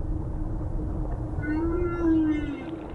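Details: Humpback whale (Megaptera novaeangliae) song: a drawn-out, moaning tonal unit swelling and gently bending over rumbling underwater noise, sung by a male at Silver Bank, where about 3,000 humpbacks pass December–April; songs last up to half an hour, carry over 30 km, perhaps serenading mates.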